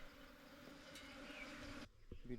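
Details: Wild hill bees droning from a nest dug into earth in hilly jungle while being transferred to a hive box; an even, low hum that cuts off abruptly, followed by a short human voice.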